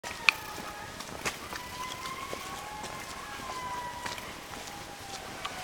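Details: Indri calling in Andasibe National Park, Madagascar; several long, wailing tonal notes sliding slowly downward and overlapping, with a steady hiss of forest background and scattered clicks.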